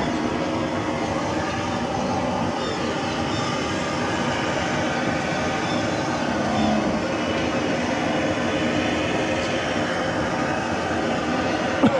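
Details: Continuous clanking, grinding mechanical noise like rail wagons runs throughout, with a few faint voices and no clear animal call.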